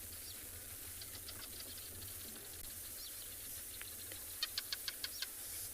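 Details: Barking geckos waking and beginning to call at sunset in Tswalu Kalahari Reserve, South Africa, on 8 March; sharp dry clicks scattered through the clip, ending in a quick run of six evenly spaced clicks over steady hiss and faint low rumble.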